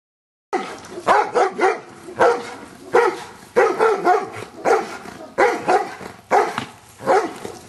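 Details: Giant Schnauzer named Luther in Schutzhund stick hit training, barking in bursts of two to four sharp barks separated by short pauses.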